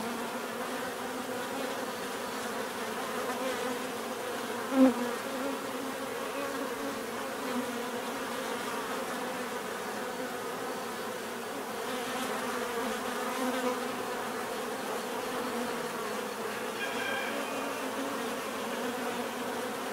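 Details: Bees droning steadily as a mass, a soft even hum of many wings with one sharp click partway through and a short higher whine later on.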